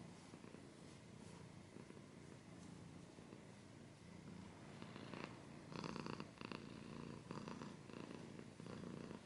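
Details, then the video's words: Purring domestic cat, a continuous low rumbling throb, joined in the second half by louder bursts of dry scratching or rustling close to the microphone. "Cat's purring / scratching / kinda ASMR"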